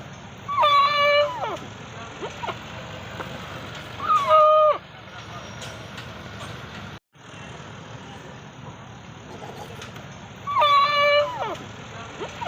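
A goat gives three loud, nasal bleats spaced several seconds apart over steady background rumble.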